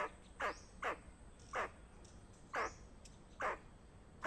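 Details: Warning calls of a squirrel: rapid harsh chuck notes, each sliding slightly downward, six of them in about four seconds, with faint background noise.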